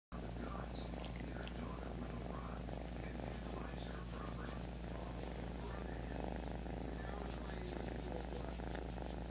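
A kitten purrs in a steady, low, rumbling stream of rapid pulses.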